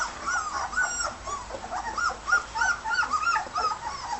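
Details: Red and white border collie pups, 18 days old, whine at their first solid meal with dense, overlapping, high-pitched rising and falling whimpers, several callers at once, and faint lapping noises underneath.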